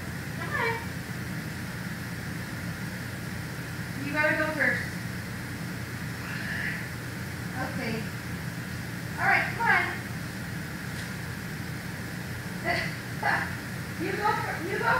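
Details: Simba, a savannah cat at Big Cat Rescue, gives a series of falling, harmonic meow-like calls, roughly nine spread irregularly over fifteen seconds, each sliding downward from high to mid pitch, over a steady low background hum.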